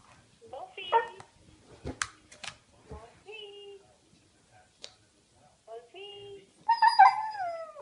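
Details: Siberian Husky puppy Wolfey, on speakerphone with a family member, gives short, wavering howl-like yowls that rise and fall, sounding almost like "mama."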